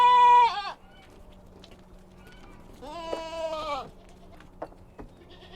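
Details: A kid goat on a mountain farm lets out a sharp, loud bleat that drops at its end, then a longer trembling bleat about three seconds later, with a steady low hum underneath.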